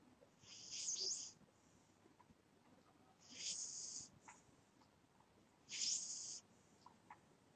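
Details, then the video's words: Breathy, sibilant snores from a sleeping house cat: three high, airy puffs about every two and a half seconds, with light ticks and rustles in between. "My Snoring Cat"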